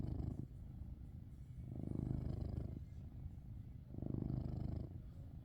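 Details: Sleeping Maine Coon named Coco giving low, grating snores, two long rumbling swells with softer breathing between, steady and unhurried.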